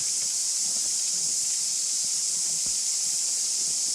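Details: A dense chorus of cicadas in a shaded tree grove partway up Rainbow Mountain near Rotorua, New Zealand, makes a loud, steady, high-pitched buzzing hiss.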